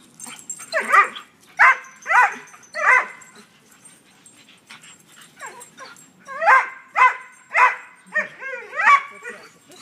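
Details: Greyhound Padfoot playing with a blue pit bull through a fence while a brindle greyhound chases him: bursts of sharp, high yipping barks in two rapid series, some with a rising, whiny edge, separated by quieter scuffling.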